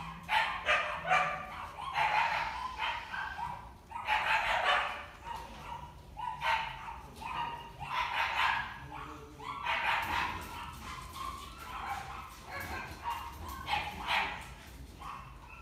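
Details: Female Pomeranian with a cream coat, born 7 August 2018; sharp, yappy barks come in bursts roughly once or twice a second throughout, over a low steady hum.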